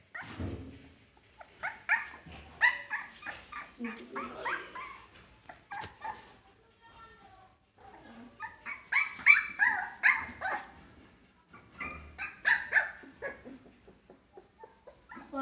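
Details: Siberian Husky puppies 21 days old, barking and fighting together while playing: rapid bursts of high, squeaky yips and squeals, busy and overlapping, with brief lulls between flurries.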